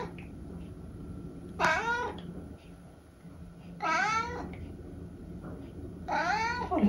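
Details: Three drawn-out, bending meows spaced about two seconds apart come from Eric, an elderly tabby cat in England, answering a person asking what noise he is making today, inside a quiet small room.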